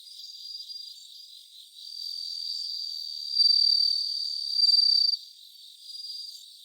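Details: Live recording of a bell cricket around 3 a.m., 3 September 2023. A sustained high tinkling trill builds in strength, peaking in two loud pulsed bursts, then drops back to quieter far-off ringing from other insects.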